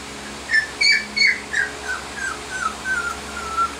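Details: Female Sheepadoodle puppy, 20 weeks old, whimpering; a series of thin, high whines, first sharper and rising, then softer falling notes repeated about every third of a second, over a quiet steady background hum.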